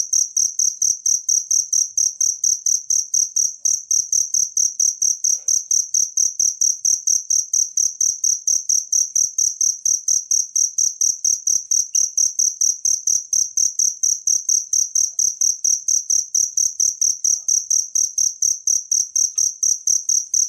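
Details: Wild cricket (jangkrik) recorded for tutoring songbirds: loud, shrill high chirps pulse in a steady, even rhythm, about two a second, throughout, with a quiet background.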